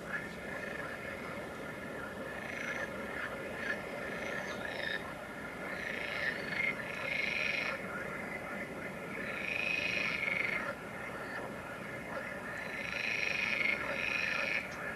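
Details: Green frogs at the Kaaistoep, Tilburg, on 29 May 2018 call in rasping, rattling bursts over a steady background chorus.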